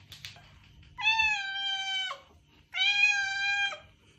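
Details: A domestic cat (Felis catus) gives two long, steady, tonal meows, each about a second long, with a brief gap between them.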